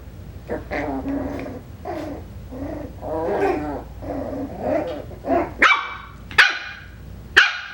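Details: Hannah's Coton de Tulear puppies, five weeks old, give a run of whiny, wavering growl-barks, then three sharp, bright yips spaced under a second apart toward the end.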